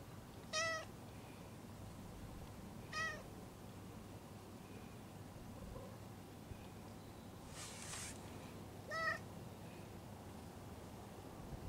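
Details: Stray cat giving quiet meows in response to pats on its lower back, three brief calls with long pauses between them and a short rustling burst near the end.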